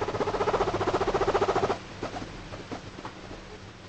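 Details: A guinea pig in its favourite bed, in a good mood, makes a fast, bubbling run of pulsed low chirps, a contented chatter, then soft clicks.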